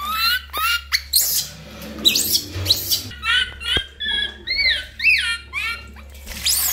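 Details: Lori, a baby monkey, cries loudly while being bathed: shrill, harmonic squeals that rise and fall, repeated in quick bursts about every half second, over a steady low hum.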